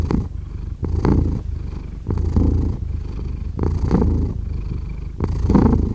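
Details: Deep, bass-heavy purring from a domestic cat, rhythmic swells roughly every second and a half as the animal breathes in and out, steady and soothing.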